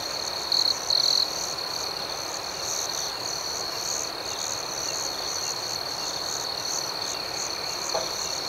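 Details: A shrill, unbroken cricket trill at night, with two short loud chirps at the beginning and the rest an even, shimmering high chorus.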